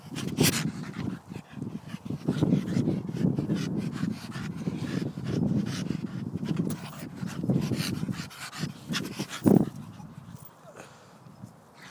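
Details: Staffy during play, rumbling almost continuously in low, grumbling growls that swell and fade in waves for most of the twelve seconds, broken by a few sharp knocks and a louder snort near the end.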